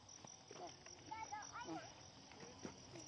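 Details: A chorus of numerous crickets forms an unbroken high-pitched drone, overlaid by several short, bending, lower-pitched calls in the middle.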